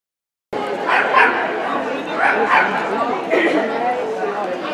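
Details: Ibizan Hound at an SvVk dog show on 20 March 2016, giving several short, sharp barks in quick pairs, with steady crowd chatter and voices filling the indoor hall throughout.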